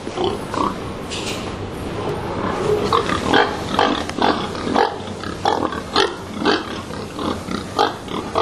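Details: Stressed pigs in Sweden, packed into narrow boxes at a slaughterhouse and held overnight before slaughter. Dense, overlapping grunts and sharp squeals come roughly twice a second over a constant background hum.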